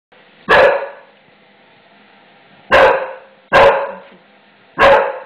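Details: English Bulldog indoors, barking at a newly installed floor he fears, angry and frightened after the noisy installation; four loud sharp barks, one early then three spaced about a second apart near the end, with a faint indoor hum.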